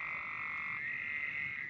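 A steady, high-pitched frog chorus that blends into one continuous droning trill.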